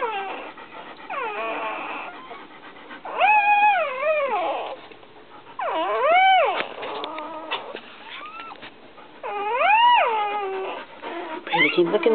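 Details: Newborn white puppy with a patch over one eye, named Lady, whimpering as her mother Brandy licks her after birth; high arching whines with rich harmonics, rising then falling, in three or four loud bursts with softer squeaks between.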